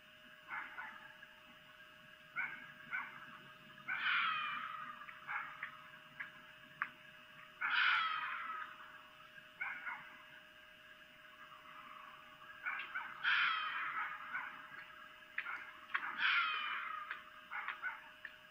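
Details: A female red fox calls at night on her perch in Lolo, Montana, around 23:25 on 3 April 2018, giving harsh, drawn-out screams between short yelps as vixen mating calls.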